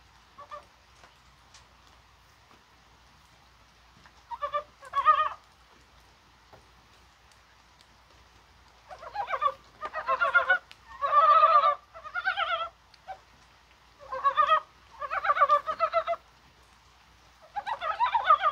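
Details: Several Korean brown frogs croak through rain on a mild 21 January, likely at spawning; clustered bursts of quick pulsing croaks, some overlapping, come thick in the second half after a quieter start.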